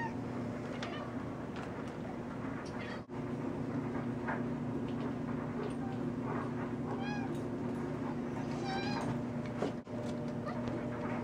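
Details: Pet cat named Sneaky meowing indoors in a kitchen after spotting a moth; several short harmonic meows, some rising then falling, scattered through the clip over a steady low hum.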